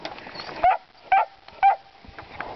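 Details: Puppies baying at hogs, barking at the pigs: three short, loud, high yelps about half a second apart, with faint background rustle between them.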